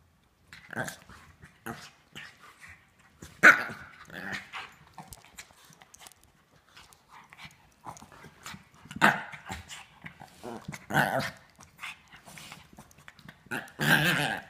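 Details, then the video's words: Rough-housing German Shepherd/Great Dane mix and a shih tzu at play, recorded on an iPhone 5S; gruff growling bursts and short barks come every few seconds, loudest near 3.5, 9, 11 and 14 seconds. "Shih Tzu VS German Shepherd/Great Dane Mix Play Fighting/Rough Housing"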